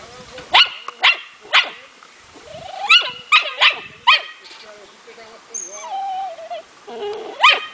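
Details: Smooth Fox Terrier puppy, four months old, in hunting training by a playful method: rapid series of shrill yapping barks roughly every half second, broken by high wavering whines and short squeaks.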